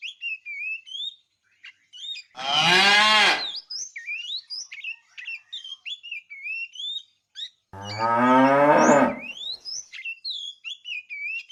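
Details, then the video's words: Two long, rich moos spaced several seconds apart from a fat tame cow calling the female while the herd is driven in the afternoon; lively twittering birds chirp continuously throughout. "The funny sound of a fat cow calling the female"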